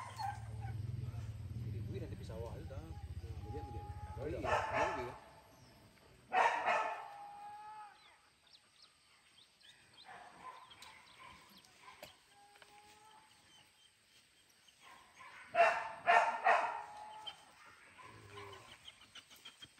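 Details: Max, a dog at his first hunting training, PORBI Legaran Sungai Pingai: low talk and rumbling open the recording, then sharp clusters of barks and yips break out near six and sixteen seconds amid quieter gaps.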